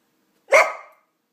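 A Cardigan Welsh Corgi gives a single sharp, loud bark that fades quickly.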